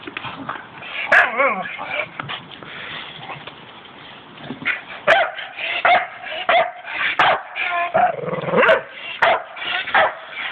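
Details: Staffordshire Bull Terriers at play, letting out quick yips and short barks in irregular bursts, with wavering whines, bumps and a person speaking in the background.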